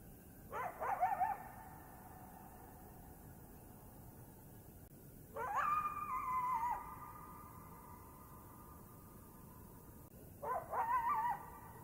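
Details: A coyote "singing" in the Blue Ridge Mountains gives three long howls, each swooping upward and then holding a wavering, quavering tone.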